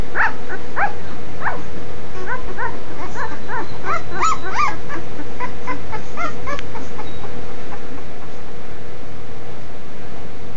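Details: Five-day-old Cane Corso puppies, thin high squeaks and whimpers in quick overlapping bursts for about seven seconds, then fading, over heavy low rumbling handling noise.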